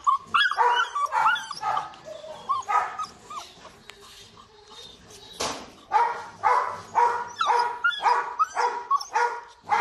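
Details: A kennel Rottweiler puppy with a wrinkled face: first a jumble of squeaky whines and short yelps, a brief lull, then rhythmic high barks about twice a second to the end.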